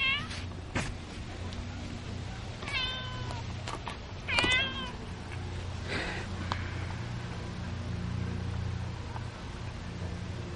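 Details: Pet cats at feeding time indoors; several short meows slide downward in pitch, one after about three seconds and a louder pair near four and a half seconds, over a constant low hum and faint eating noises.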